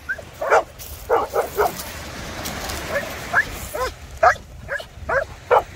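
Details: Maremmano-Abruzzese Sheepdog playing with a Golden Retriever by the Black Sea, giving a run of about a dozen short, sharp barks and rising yips in irregular bursts, some quick doubles, over soft outdoor background.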